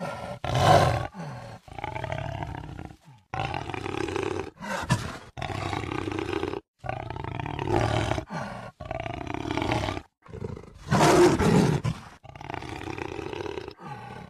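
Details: Rough, resonant jaguar roars from 2013 come in steady bursts of about a second, separated by brief quiet breaks, with a particularly loud harsh blast around the eleventh second.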